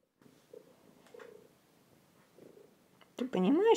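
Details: A two-year-old domestic cat purrs into a phone in short, low, rumbling bursts paced with each breath. At the end a woman's voice breaks in loudly, speaking to the cat.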